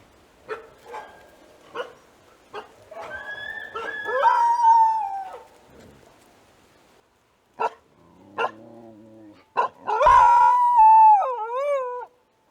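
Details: Australian dingo vocalizing: several short yelps, then two long wavering howls that rise, hold and bend downward with quavering tails, separated by pauses and clipped barks.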